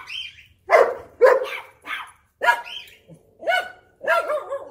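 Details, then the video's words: German Shepherd barking in excitement while annoying its puppies indoors; loud harmonic barks in uneven bursts, some doubled, with a higher whining yelp mixed in, about six barks over several seconds. "Funniest German Shepherd Barking & Annoying My Puppies"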